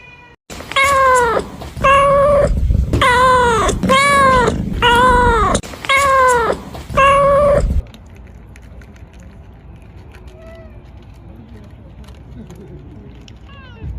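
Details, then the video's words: Kittens meowing: six loud, harmonic meows follow one another about once a second, each arching slightly downward, then the calling stops and only faint background hum and a few soft sounds remain. "Kittens meowing"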